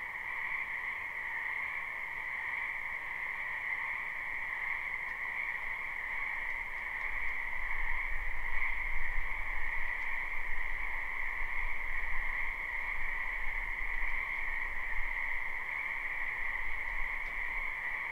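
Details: Many frogs croaking in a spring wetland behind a house, live recording: a dense, unbroken chorus of trilling croaks in two steady pitched bands, with a low rumble swelling through the middle.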